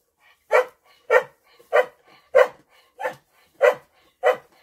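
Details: In the hay, a female dog barks steadily: seven sharp, bright barks spaced about 0.6 seconds apart, with no other sound between them.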